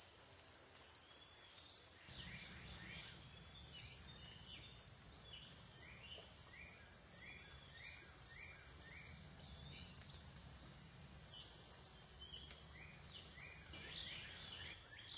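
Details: A ceaseless shrill cicada drone fills a dusk-to-dawn riverside recording on the Licking River, Morning View, while a bird repeats short chirps in rapid series, roughly four a second, above a low rumble from two seconds on.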